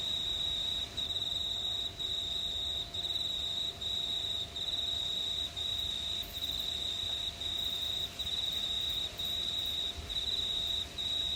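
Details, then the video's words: A steady, shrill cricket trill on a warm summer night in a quiet regional New South Wales town, Australia, under a starry sky, pausing briefly about every second and a half. "Pure Cricket Sounds at Night"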